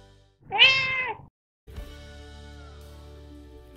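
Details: A single bright, drawn-out meow from a 7-year-old Persian Chinchilla, born 14 March 2010, with summer-shortened fur. After a short pause, quiet music takes over.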